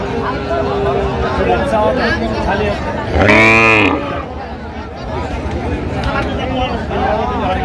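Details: Lean, bony cows for sale at the Aftabganj cattle market in Dinajpur on 17 August 2025: one loud, low, harmonic-rich moo lasting under a second mid-clip, set against steady crowd chatter and haggling voices.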